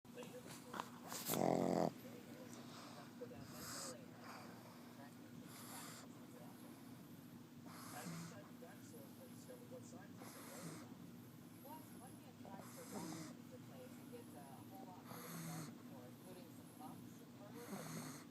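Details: A sleeping dog snoring: soft, rasping breaths repeat about every two and a half seconds, with a brief louder noise near the start and a quiet indoor background.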